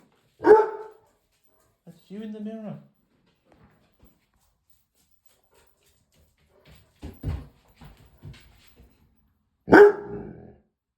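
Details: Dog barking at its reflection in a mirror, with two isolated loud barks separated by a long gap filled with a person's quiet speech and shushing.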